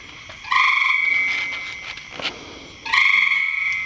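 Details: A frog in a rain barrel gives two sustained, ringing, buzzy tones, each lasting about two seconds with an abrupt start and a slow fade, and a short pause between them.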